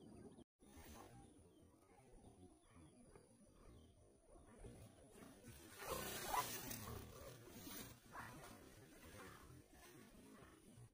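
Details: Wild boar (Sus scrofa) gives rough, low, noisy grunting calls with a harsher, louder burst midway, in a clip about the danger of wild boar attacks; Wild boar.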